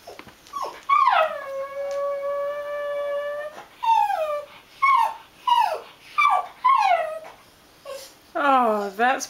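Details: An old female Border Terrier sings as her owner comes home from work. She holds one long wavering howl, then gives a run of short falling yowls about every 0.7 seconds and ends with a rising-falling howl. A woman urges her to sing.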